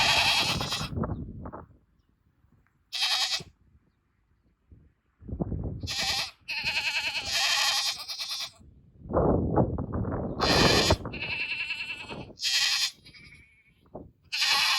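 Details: Chorus of goats calling out toward a keeper's vehicle, quavering nasal bleats rising and falling, several voices overlapping, with a low rumbling background noise between calls.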